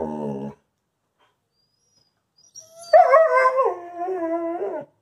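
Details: A Wolamute wolfdog holding two treats and refusing to share, giving a low harmonic moan, a pause, then a louder wavering whine-howl that rises and holds for about two seconds.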